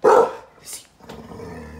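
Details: One loud, sharp bark from Lizzie, a Staffordshire Bull Terrier and Rhodesian Ridgeback mix from a shelter, protecting her owner in a wheelchair from a stranger outside, followed by a soft hiss and low background noise.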